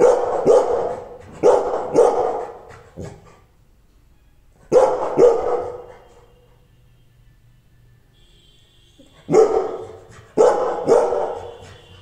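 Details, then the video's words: Angry Rottweiler giving loud, harsh barks in short bursts of two or three, separated by pauses of one to several seconds, with faint low rumbling and a brief tonal background sound between bursts. "rottweiler angry"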